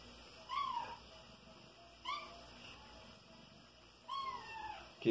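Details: Indoors, five-month-old kitten Soneca, known for chasing flying insects, makes three short, clipped chirping mews spaced about two seconds apart, each dipping in pitch, with a sharp knock at the very end.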